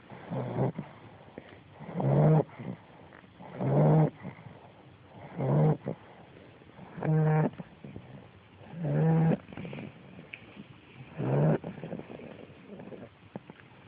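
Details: Ten-week-old female American Bulldog puppy snoring in her sleep; rhythmic rasping snores about every two seconds, each a buzzy low rumble, some with a rattling vibrating texture, soft breaths between.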